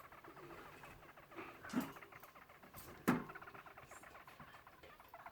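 A hamster makes a faint, steady patter of tiny ticking noises, broken by two sharp knocks.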